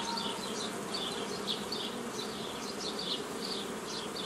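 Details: Steady drone of many honey bees as an old-style nucleus colony is assembled from a forager swarm, recorded 15 May 2018; the low hum stays unbroken while brief high chirps flutter in the background.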